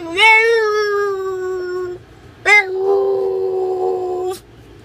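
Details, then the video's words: Female Boston Terrier at home voicing frustration when her owner will not sit on the couch with her: one long steady whine of nearly two seconds, a pause, then a sharp rising yelp that flattens into another sustained whine. "vocalizing her discontentment"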